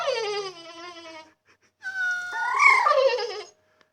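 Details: Distressed female dog whining because she cannot reach the water; a long, steady, tonal whine held over a second, then a rising, wavering squeal that bends upward before fading.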